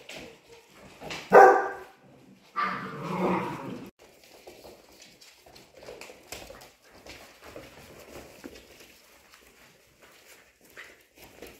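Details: Polish Hunting Dog puppies, 55 days old, at play indoors: a couple of loud yelping barks near the start, then quieter scattered whines and shuffling sounds.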